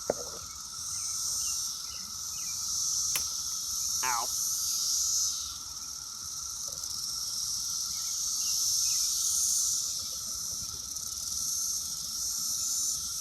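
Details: Loud chorus of Brood X cicadas crowded on an apple tree on June 6: sustained high buzzing drone swelling and easing slowly, with a sharp click and a short wavering rising whine partway through.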